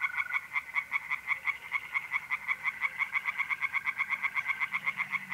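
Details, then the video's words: On an April night in North-East Italy, tree frogs sing in a pond with rapid, evenly spaced croaks, about five each second. A brief steady trill from mole crickets opens the passage. "relaxing singing tree frogs in pond"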